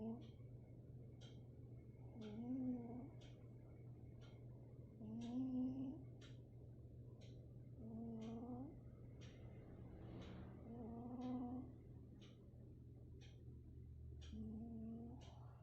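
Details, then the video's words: Domestic cat snoring indoors; raspy, tonal snores recur every two and a half to three seconds, each rising slightly, over a steady low hum and faint regular ticking clicks. "cute cat snoring"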